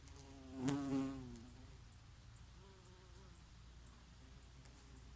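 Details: A single bee working oregano flowers in summer passes close, giving a loud, wavering buzz that peaks and fades within half a second, then fainter humming under a soft breeze.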